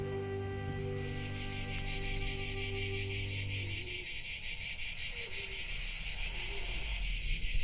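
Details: Cicadas singing in summer heat at the Bagni San Filippo sulphur hot springs, Tuscany, Italy: a loud, continuous, shrill, rapidly pulsing rasp, with soft background music and a low hum during the first few seconds.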